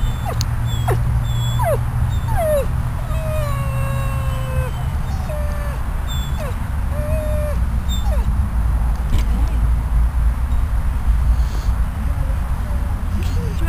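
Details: Uncomfortable after leaving ICU, Riddick the dog whines outdoors on the grass at Bryanston Veterinary Hospital; a few long, level, thin whines and shorter downward yelps, spaced out, over a low droning background.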